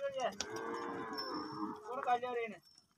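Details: Cows at a gaushala cow shelter. A single sustained, fairly high-pitched moo holds a steady tone for over two seconds, wavers slightly near the end, and then stops abruptly. Faint background noise follows.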